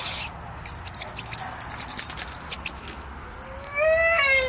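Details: A male English Bulldog cries because he wants to get to the other side of a fence to play with greyhounds. After rustling and clatter he gives a brief, nasal, whining cry that rises and wavers.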